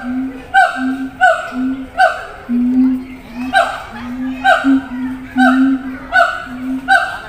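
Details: Siamangs at a zoo, housed in different cages and calling to one another over distance: a steady series of deep, short booming notes, each with a higher bark-like overtone, repeated a little faster than once per second.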